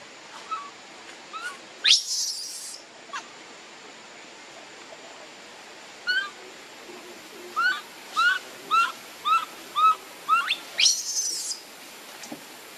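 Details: A hungry baby monkey begs its mother for milk. A harsh scream opens the clip, then scattered whimpers build into a quick run of about eight short, arching, tonal cries, ending in another rough scream.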